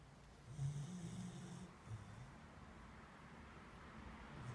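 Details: Sleeping beagle lets out a single low rumbling snore with breathy hiss, followed by a short grunt and then quiet indoor background.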